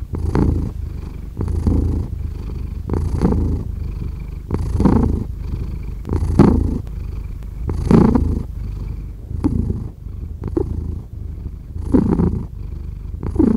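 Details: Low rumbling purr of a domestic cat heard up close, rising and falling with each breath, louder raspy swells arriving roughly every one and a half seconds over a steady drone.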